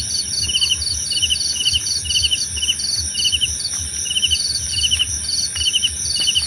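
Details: Cricket chorus with quick, clicking chirp bursts in an uneven rhythm, one voice slightly lower than the other, layered over a constant shrill ringing drone. A few faint sharp ticks break in.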